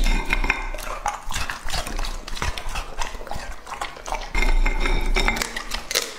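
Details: Male English-type Labrador Retriever Lucky, two and a half years old, munches fruit and baby corn for an ASMR eating compilation; rapid irregular crunches and clacks of teeth, roughly four per second, with occasional bowl clinks.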